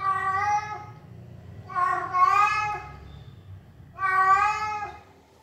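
A Persian cat gives three drawn-out, harmonic meows, about two seconds apart.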